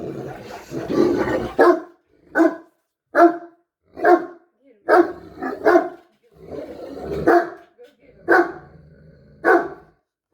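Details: Two Great Danes turning their attention to the person filming after making hippo-like noises. A muffled rumbling opening gives way to sharp barks repeated about once a second, some doubled.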